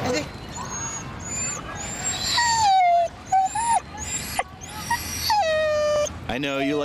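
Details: Siberian Husky taken into the city, giving a series of high whistled whines that slide and waver, several long drawn-out notes with bright harmonics, over traffic rumble and city noise.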